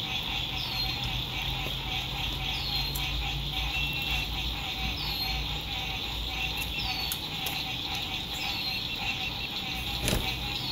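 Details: Sunset frog songs by a lake, recorded while RV camping in spring 2021 in good weather: a thick, steady high-pitched trilling chorus, regular downward bird whistles every second or two, a low engine drone and scattered clicks.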